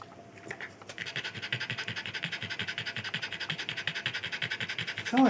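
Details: Out-of-breath Norwich Terrier panting in quick, even rhythmic gasps that settle in after the first second and continue to the end, with a faint click and a short burst of another sound at the close.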